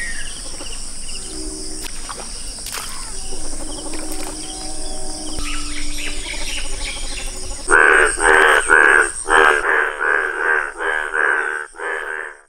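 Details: Yellow-coloured Indian bullfrog calling: after about seven seconds of faint background noise and a high insect-like buzz, a run of loud, harsh, nasal croaks follows, repeated about twice a second for roughly five seconds.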